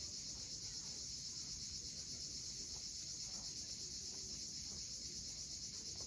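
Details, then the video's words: Steady shrill drone of cicadas calling at sunset from the steep Crimean coast at Cape Fiolent, one continuous hissing buzz with no pauses, backed by the soft wash of waves. "Cicadas at sunset."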